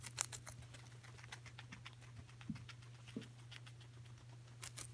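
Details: Coco the guinea pig eating celery, with irregular crisp crunching clicks of chewing and a few louder snaps near the start and end, over a steady low hum.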